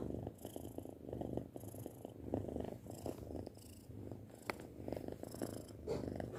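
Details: Purring from a six-month-old house cat: steady low throbbing rumble rising and falling in soft pulses about once a second, with a few faint clicks.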